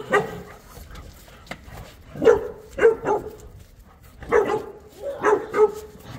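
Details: Boerboel, or South African Mastiff, one of the pair Enzo and Diva kept in Egypt, barking in separate sharp single and double woofs spaced about a second apart, with quiet gaps between.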